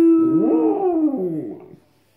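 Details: Pet West Highland White Terrier copying Cristiano Ronaldo's famous 'siuuu' celebration cheer, which it repeats whenever it hears it: one long, loud, tonal howl that rises, then slides down over about 1.7 seconds before fading.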